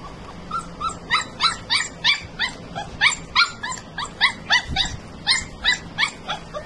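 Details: Odd-eyed husky puppy giving a quick series of short, rising, high yelping cries, about three per second over nearly seven seconds, fairly even in loudness, with faint low background hum.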